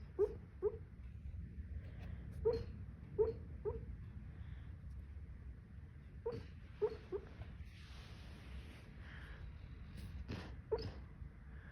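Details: Female puppy barking in her sleep: soft, muffled little yips in small clusters of two or three, spread across several seconds, quiet over a low indoor background hum.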